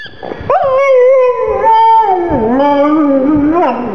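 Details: Gong Fu, a black pug mascot, cries, feeling sad for his little ball: a sustained, wavering whine held for about three seconds, sliding gently up and down before dipping lower near the end.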